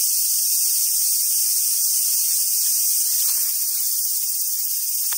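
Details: Cicadas in summer at a wild Japanese macaque site in Sumoto, Hyogo, Japan: a loud, constant high-pitched drone filling the whole stretch, with a single sharp click near the end.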